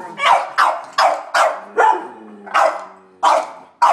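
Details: Three dogs, a Sheltie, a Collie and a French Bulldog, barking at a squirrel on a rainy March day; sharp, evenly spaced barks about every half second, with some overlapping between dogs.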